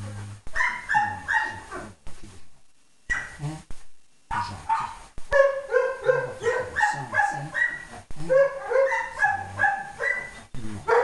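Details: German Shepherd held at the refuge in Péruwelz after being found on 30 July 2011, producing a long run of rapid, tonal whimpering yelps and whines, repeated several times a second with brief pauses between bursts.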